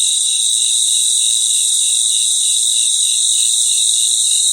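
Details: Nighttime cricket chorus: a loud, constant high-pitched shimmer with a lower rhythmic trill throbbing in steady beats beneath. No birds, wind or voices.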